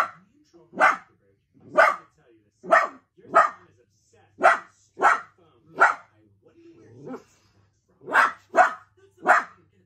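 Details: Miniature dachshund barking while playing: sharp broadband barks repeated roughly once a second, about eleven in ten seconds, with short pauses and a faint low whine between.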